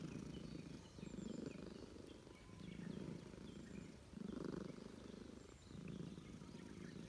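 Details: Russian Blue stray cat in a park, petted and purring contentedly at a reunion. Loud rumbling purr in slow waves, about one breath cycle every three seconds, over light bird chirps.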